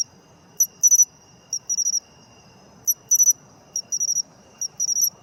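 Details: An autumn matsumushi (pine cricket) giving sharp, tinkling high chirps in brief clustered pulse groups, about every second, uneven in spacing, with quiet low-pitched background noise.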